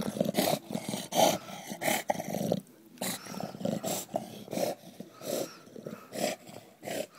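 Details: Dog playing with a tyre, growling in rough, low rumbling bursts about half a second long, broken by sharp clicking and thumping knocks from the play, with a short quieter gap midway.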